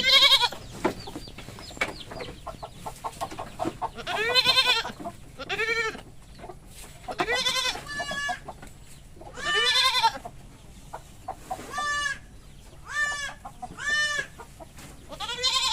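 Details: Goats at a goat farm, described as mating, give loud wavering harmonic bleats in repeated bursts about every one to two seconds, some overlapping, with faint clucking and farm background between calls.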